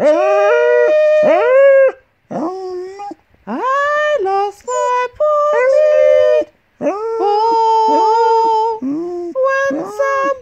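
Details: An 8-year-old female Golden English Cocker Spaniel howls in drawn-out, tuneful notes that swoop upward and waver, "singing" along with her owner in a morning sing-along; she favours high notes.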